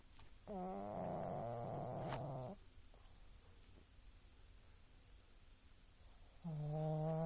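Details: Oscar, a sleeping pet pug, snores twice. Each snore is a long, buzzy, humming breath lasting about two seconds, separated by roughly four seconds of near silence with low room hum.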